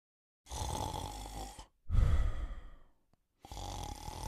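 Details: Sleeping male Cocker Spaniel snores in long, low, rasping breaths separated by brief pauses.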